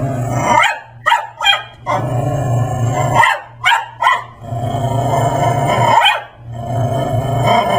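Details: A Brussels Griffon in a dinosaur Halloween costume pesters a Persian cat at home, giving clusters of quick barks, roughly two to three in a row, followed by growling pauses against a constant low background hum.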